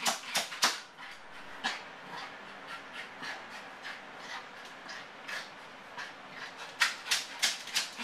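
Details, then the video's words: Motley, a Yorkshire terrier left home alone, barking from separation anxiety as he does every time his owners leave, keeping it up for an hour; sharp, high yaps come in irregular clusters, with a quieter stretch in the middle. "Separation Anxiety Yorkshire Terrier"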